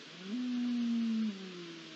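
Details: Red deer stag calling on a September night, 20 September 2021, as rutting hormones begin to awaken: one low, steady tonal bellow lasting about a second, rising briefly at the start and then holding level, over a constant hiss of background noise.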